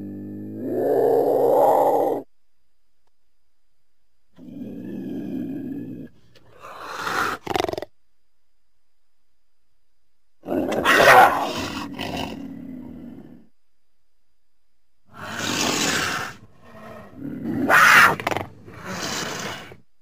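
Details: Mountain lion opening with a long harmonic yowl, then a low breathy call, followed by several harsh broadband hisses and spitting bursts in irregular clusters.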